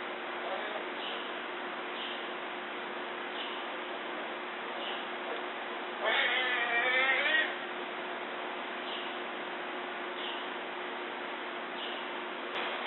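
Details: Newborn Amur tiger cubs, three born July 12–13, nursing with mother Mara in a behind-the-scenes den at the Columbus Zoo and Aquarium, caught by remote camera: one loud harmonic wailing cry lasting over a second, faint soft squeaks recurring, steady hiss throughout.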